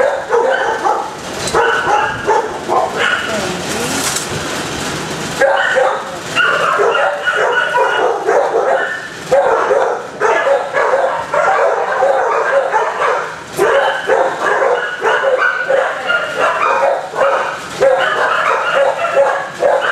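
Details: Barking from many dogs in kennels, dense and continuous; a loud hissing rattle breaks in for about two seconds near the start before the chorus of sharp barks resumes.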